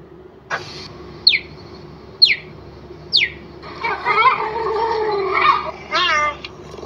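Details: A cheetah makes three short, high, sharply falling chirps about a second apart, then a longer wavering, meow-like call and a quick quavering warble.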